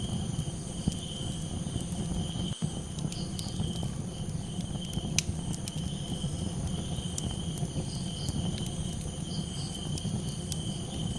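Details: Night-time cricket chorus over a crackling campfire: continuous high-pitched trilling held at an even level, with soft pulsing overtones. Frequent low pops and snaps from the fire, plus one sharp crack partway through.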